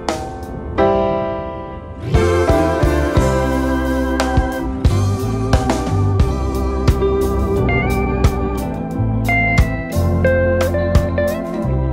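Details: Organ-led music with sustained chords and a steady beat; no animal sounds are heard.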